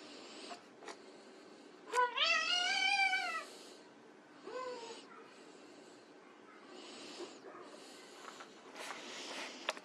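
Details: White Persian kittens at play; one long, high, rising then level meow around two seconds in, followed by a shorter upward mew, then mostly quiet rustling, scuffing and faint clicks.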